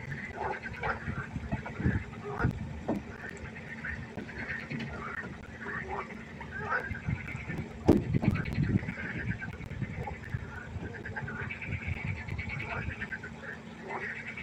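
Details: Frogs croaking at night by a pond: a dense chorus of overlapping short, nasal calls, with a few louder bursts standing out, over a low rumbling background hum.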